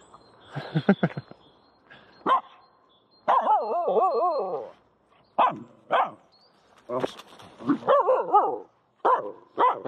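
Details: Female Finnish Spitz Aamu is playing with a stick in a horse pen with no horses. She gives a series of short barks mixed with wobbling, warbled yodel-like calls that rise and fall, repeated several times over ten seconds, while a person chats to her.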